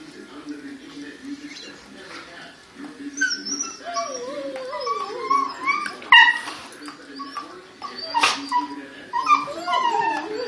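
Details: A chorus of dogs howls together, starting with low steady moans and building into overlapping rising and falling howls, with brief high yips breaking through near the end.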